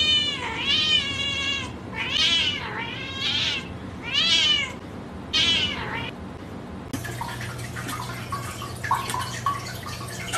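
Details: Kittens indoors calling in quick, high-pitched meows, about one every second, each rising then falling. A burst of noisy rustling follows.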